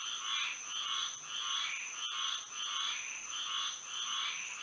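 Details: Florida frogs calling at night in moonlight, slower swelling croaks about every second and a half, somewhat uneven, layered over a steady high insect hum.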